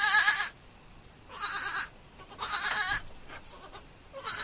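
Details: Farm goat kids giving four short, quavering, high-pitched bleats in quick succession, each about half a second long, with brief quiet pauses between.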